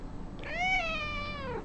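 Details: Pet cat joining in indoors while its owner sings happy birthday: one long drawn-out meow, rising briefly then sliding slowly downward over about a second, with rich clear harmonics against a quiet room background.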